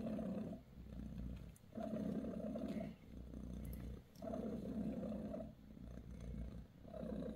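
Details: British Shorthair mother cat Bassy purrs beside her kittens as she gives them a massage. The rumbling purr comes in rhythmic breathing cycles of loud and soft phases, about two seconds each, with no other clear sounds.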